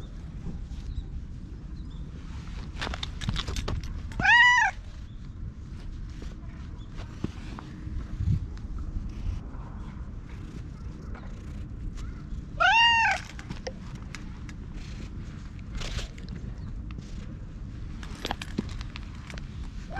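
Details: Ginger tabby stray, chatty and rubbing up against a person, recorded on a GoPro outside; two loud rising-then-falling meows about eight seconds apart, with soft rustling and low hum between them.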